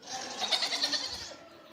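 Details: A goat, Nutmeg, heard through a door on a wet morning, gives a deep, wavering, muffled bleat that pulses in loudness before fading.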